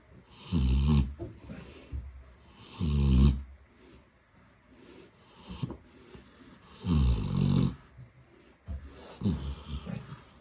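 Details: Piglet asleep in Odesa, snoring in deep, rasping bursts, four long snores spaced unevenly with soft wheezy breathing in the gaps, indoors.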